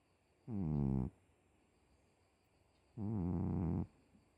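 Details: Pet cat snoring indoors: two loud, rasping, low breaths, each about half a second to a second long, with a rippling buzzy tone and a pause of roughly two seconds between them over a faint steady hum.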